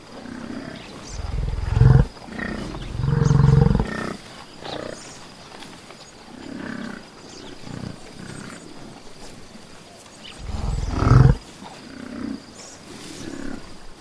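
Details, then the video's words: Buffalo in nature producing a series of deep, throaty grunts and bellows in short bursts, two loud ones several seconds apart with softer rumbling calls between, over a quiet natural background. "Buffalo sounds in nature"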